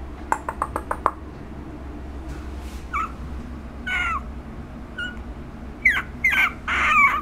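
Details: A one-month-old female puppy named Chesha, recorded on August 17, gives short high whimpers and squeaky whines that rise and fall at irregular intervals, with a few sharp clicks near the start.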